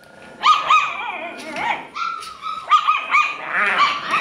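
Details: Alaskan Klee Kai puppy giving high, whistle-like whining yelps in short clustered bursts, several notes rising and falling, with a pause around two seconds before another run of quick whines; faint voices in the background.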